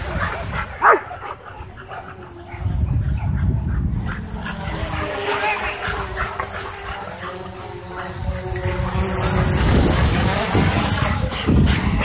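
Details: Several dogs at a dog park, whipped into a frenzy by a hovering DJI Mavic 2 drone, bark in quick, irregular volleys, about three a second, while people talk and laugh in the background.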